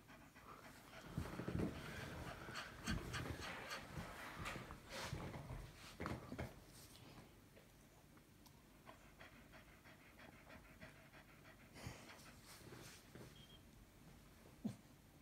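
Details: Female Staffordshire Bull Terrier giving birth to the first of her five puppies, panting hard and fast in rough bursts, loudest over the first seven seconds and then easing into quieter breathing with a few soft thumps.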